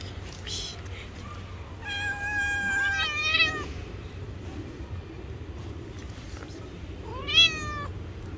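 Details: Two hungry street cats meowing loudly for food: several harmonic meows around 2 and 3.5 seconds, one long flat then bending, and another rising-falling meow near 7 seconds, over low traffic rumble.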